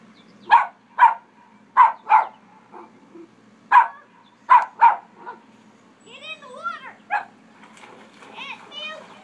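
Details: Dog at a pond, barking at someone swimming; it barks whenever anyone swims or jet skis. Seven sharp, single barks in the first five seconds come at irregular gaps, followed by warbling, voice-like sounds over a low hum.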